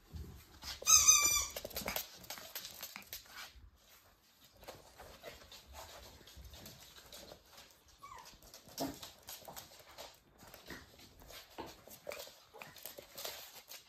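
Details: Pembroke Welsh Corgi puppies at play on 17 March 2023, litter born 31 January 2023; one loud, high, wavering whimper-squeal near the start, then a long stretch of soft scratching, pattering and rustling.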